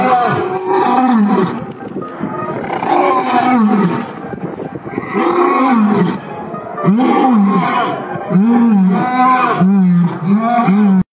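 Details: A lion and lioness at a zoo roar in deep, groaning bursts that shorten into quicker, repeated grunts toward the end.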